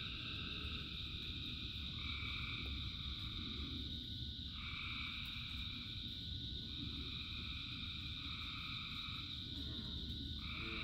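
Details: Rain and a huge frog chorus of thousands of singers, with overlapping high trills cutting in and out in bursts of one to three seconds and a brief lower warbling call near the end, beneath constant downpour.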